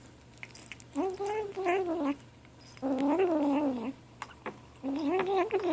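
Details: Seven-week-old gray kitten vocalizing while eating: three drawn-out, wavering mews with rich harmonics, each about a second long, separated by short pauses, over a faint steady hum.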